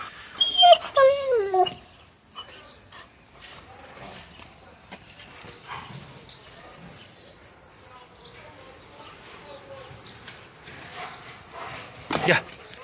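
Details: Kangal puppies Gölge and Duman at their first meeting after the lockdown curfew. A high, whining yelp slides sharply downward within the first two seconds, followed by quiet rustling, faint shuffling and a man talking.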